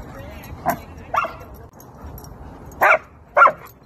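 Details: Excited German Shepherd greeting friends at a playground lets out four short, sharp yipping barks, two close together early and two more after a pause, with little else heard.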